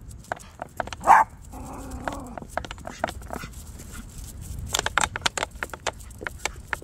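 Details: Maltipoo on a walk gives one loud, sharp bark, then a short wavering whine, followed by quieter clicking and tapping noises from the outing.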